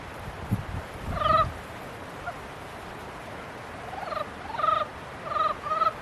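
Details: Frogs during mating season: scattered rough, nasal croaks, one early burst and a cluster near the end, with soft low thumps at the start and quiet gaps between.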